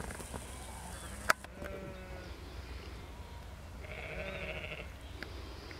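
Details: Sheep in a field being worked by a border collie, giving faint, distant wavering bleats around two and four seconds over steady wind rumble and a sharp knock.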